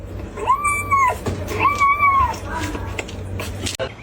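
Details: Kitten crying, two drawn-out meows about a second apart, each a steady, even tone that bends down at the end, over a low steady hum with faint room noise.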